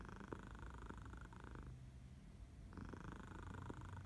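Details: Sleepy morning purring from a house cat in Barcelona in August, another cat nearby; low continuous rumble with two louder breathy phases separated by a quieter pause.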